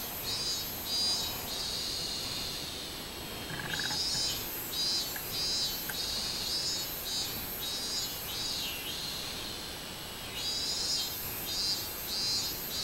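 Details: Minmin cicada song recorded 24 July 2016, summer: bursts of rhythmic, shrill pulsed buzzing repeated about once a second, pausing briefly midway then resuming strongly, with a soft short chirp from another caller near the middle.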